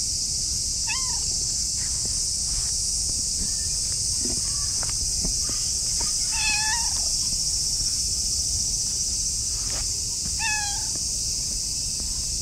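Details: Affectionate orange tabby cat rubbing against its owner's legs while meowing in a sweet voice; three clear, slightly rising meows spaced a few seconds apart over a steady high drone of insects, with faint rustling and footsteps.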